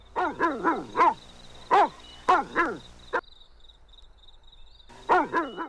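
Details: During an outdoor tug-of-war toy battle, a puppy or its mother gives clusters of strained, falling barks and yelps, with a gap of quiet before a final burst; a faint steady high tone lies underneath.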